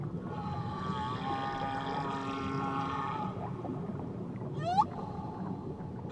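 Whale song: long, wavering tonal moans with harmonics, then sharp rising whoops and squeals.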